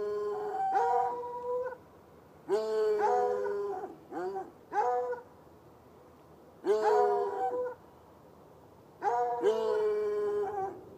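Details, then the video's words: Pair of hounds, white and dark, tied up outdoors near a red outbuilding beside an irrigation ditch at night; repeated bell-like bays, some long and level, some short and arched, in groups roughly every two seconds. "Barking dogs"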